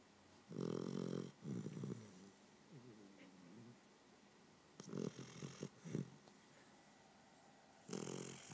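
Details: Sleeping puppy snoring: low, rough, breathy snores in bursts of about half a second to a second, with quiet pauses between them and a softer rasping breath midway.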